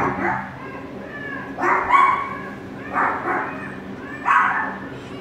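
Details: Border Collie puppies, two of them, at a shelter on their first day; sharp high barks at roughly one-second intervals over a constant background hum.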